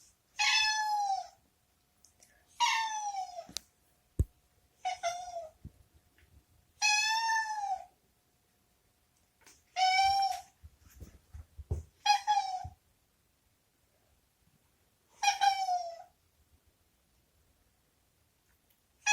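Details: A former stray cat named Boku, indoors in a disliked washroom, meows repeatedly to be let out; eight harmonic, falling meows spaced about two seconds apart, with a few soft thumps between calls.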